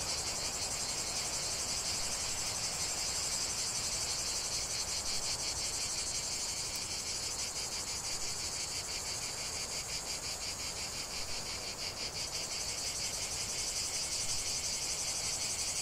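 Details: Cicadas in a lavender field produce an unbroken, shrill electric buzz with rapid rhythmic pulses that grow more pronounced midway, over soft broadband background noise.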